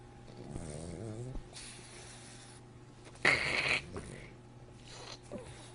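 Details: French Bulldog making very strange sounds: a short wavering whine, then breathy snorts and a loud raspy snuffling burst midway, followed by softer grunts and sniffs.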